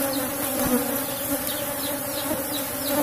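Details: Asian honey bees of a strong cultivated colony kept in a wooden box hive during a honey harvest, giving a steady low droning hum with a clear higher overtone and a few soft knocks.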